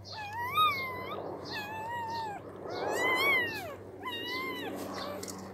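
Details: Newborn puppies not yet able to open their eyes squeal in short, bending whimpers, then one longer arching cry and a final quick whine. A faint hum runs beneath.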